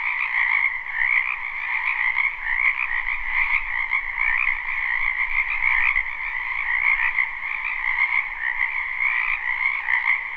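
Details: Dense chorus of frogs from a wetland in spring, live and unlooped: countless croaking calls blend into a continuous buzzing wall of sound with slight rhythmic pulsing and no other clear noises.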